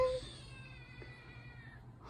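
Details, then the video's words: Scared kitten with a mad meow gives one drawn-out, wavering cry that tails off slowly over nearly two seconds in a quiet indoor room. "Kitten has a mad meow"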